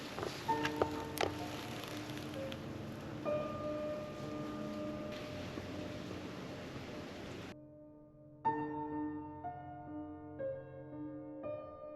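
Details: Soft sustained music with bell-like tones over a light rustling, rain-like background, with no animal sounds.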